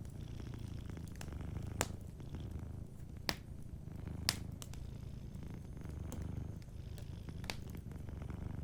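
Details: Sleeping domestic cat purring softly beside a fireplace: a steady, low rumbling purr in rhythmic waves, with sharp pops and crackles from the burning fire scattered throughout.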